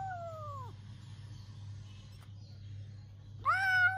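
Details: A domestic cat quarrelling with its owner gives two harmonic meows: a short falling cry, then after a pause a louder rising one that holds steady, over a constant low electrical hum.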